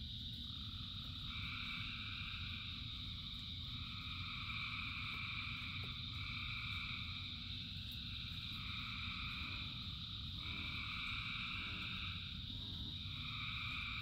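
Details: A massive frog chorus during rain: continuous overlapping trills at mid and high pitches, with pulsed segments starting and stopping roughly every two seconds, over a steady rumbling wash of rainfall.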